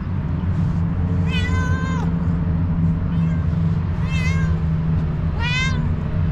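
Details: Kitten meowing: three drawn-out, slightly falling mews about two seconds apart, each with bright overtones, over a steady low rumble of background noise.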